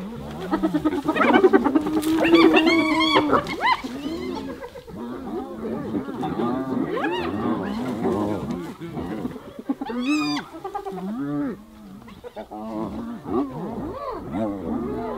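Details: Several hyenas attacking another hyena: a dense chorus of overlapping groans and giggling, arched cries, loudest at the start, with sharp higher yelps breaking through later and scuffling noise underneath.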